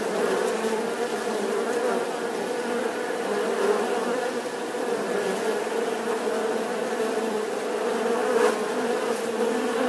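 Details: Continuous humming buzz of bees, dense and even in loudness, with a slight swell near the end and no other clear sounds.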